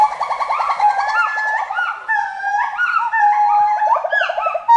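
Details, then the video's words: Forest monkey voice: dense, overlapping whooping calls with wavering, looping notes, some rising sharply and dropping back, given in a steady rapid stream with barely a pause. "FOREST MONKEY VOICE"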